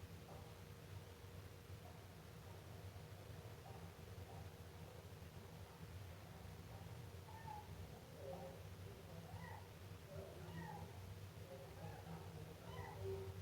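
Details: Young Siamese cat mewing softly. The first half is mostly low droning hum, then faint, irregular little meows cluster in the second half, with a brief rustle.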